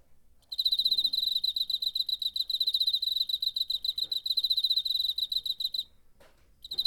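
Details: A cricket chirping in September 2019, taken on a portable recorder: a sustained five-second run of quick, regular high-pitched pulses, a brief pause, then the trill resumes, with a few soft clicks underneath.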